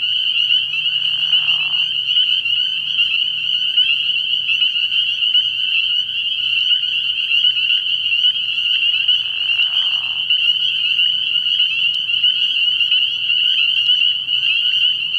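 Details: Spring peepers in full nighttime chorus at a pond early in the year. Countless high peeps merge into a steady shrill ringing, and a lower rasping burst sounds twice, near the start and again about nine seconds in.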